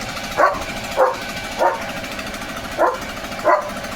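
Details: German Shepherd named Leo barking in his yard at a running machine's noise; five sharp, evenly spaced barks roughly every 0.6 seconds over a steady background rumble.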